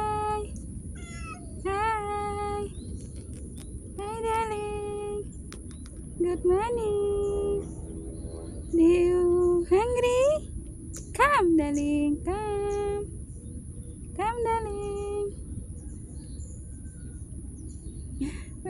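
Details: Street cat greeted in the morning, asked if it is hungry and called to come for food; about seven drawn-out meows, some rising then falling, spaced irregularly, with a woman speaking softly between them.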